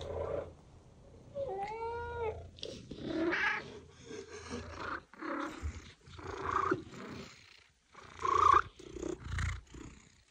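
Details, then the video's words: Domestic cat calling, used to attract other cats: one clear, drawn-out harmonic meow that bends upward and then down, followed by shorter, softer mews and low rumbling sounds. "Attract your cat - Meows to call your cat"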